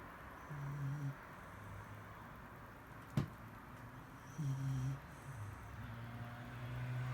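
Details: Low, rumbling snores from Mari, a Shiba Inu sleeping indoors, two clear breaths about four seconds apart with a sharp tap between them and a quieter drone trailing off at the end.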